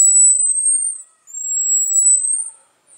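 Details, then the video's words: Marmoset vocalizing: two long, thin, very high whistles, each lasting about a second and rising slightly in pitch, separated by a short pause, against an otherwise quiet background. "SAGUÍ VOCALIZANDO"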